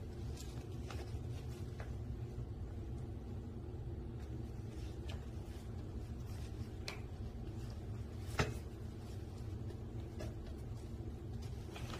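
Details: Quiet room hum with a few faint clicks and one sharp knock, and no animal voice.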